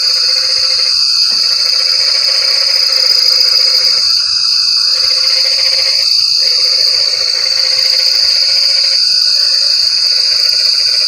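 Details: Frog calls during rain: a low pulsed trill running almost continuously with brief breaks, and occasional higher rasping bursts, all beneath a loud, unbroken shrill insect drone.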